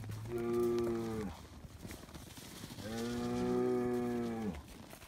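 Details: Noisy Highland cattle bull on a Finnish farm, kept outdoors year-round, mooing as bread is handed out: two long, steady, richly harmonic moos of over a second each, separated by a short quiet pause.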